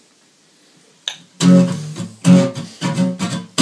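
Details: Acoustic guitar strummed in slow chords after a brief click and a quiet pause, with no animal voice heard.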